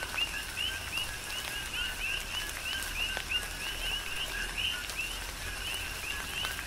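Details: Coqui frogs on the Big Island of Hawaii singing through a tropical downpour: a steady run of two-note calls, a short lower tone then a bright rising chirp, several frogs overlapping, with rain hiss and sharp raindrop taps.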